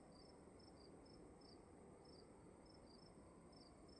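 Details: Cricket chirps in a room, high and brief, coming in close pairs about twice a second, with a constant low rumble and soft background hiss.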